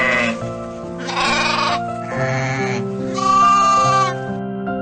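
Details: Sheep giving a quick run of three or four quavering, nasal bleats, each under a second long, over continuous background music.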